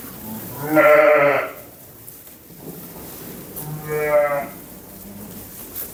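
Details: Lambs bleating: two loud, wavering, nasal bleats about three seconds apart, each lasting under a second, with quiet background noise in between.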